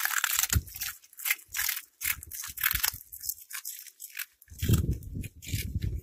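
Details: Cat eating: crisp, broadband crunches in quick irregular bursts, each bite a short crackling snap with dull low thuds beneath, pausing briefly near four seconds before a denser run of chewing.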